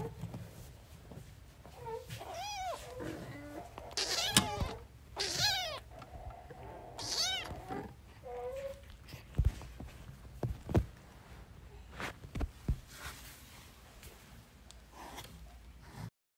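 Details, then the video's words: Newborn kittens playing, with a cat family nearby; several high, rising-and-falling mews come in a cluster between two and eight seconds, then scattered clicks and thumps with low background hum. "New born kittens are playing 😂🤣 | cute cats meowing"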